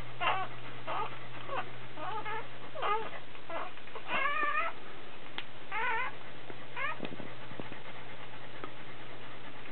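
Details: Dobermann giving birth as a puppy is born: repeated shrill, quavering mewling squeals about every second, some rising then falling, with faint handling knocks and a steady low hum.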